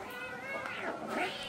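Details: Domestic cats vocalizing during a play fight indoors: a drawn-out, wavering meow-like wail that bends up and down, with a second rising cry near the end.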